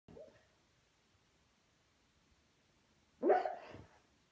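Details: Junior, a pet Beagle, dreams while asleep and lets out a single muffled bark near the end after a brief soft sound at the start; the rest is near silence.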